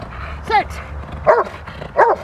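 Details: Three sharp, loud barks about three-quarters of a second apart from female Rottweiler Freya vh Odom during protection training on November 21, 2021, with faint background noise.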